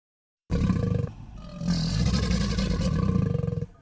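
An alligator gives a deep, rumbling growl in two bursts, the second longer and throbbing. No other sounds are heard.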